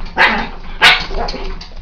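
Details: A Pekingese looking at itself in a mirror gives two sharp, high-pitched barks about half a second apart.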